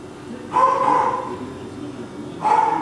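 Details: Young male Cockapoo littermates Kujo, Louie, Oliver and Bo, recorded 18 April 2014, give two brief high yaps roughly two seconds apart, with quiet background in between.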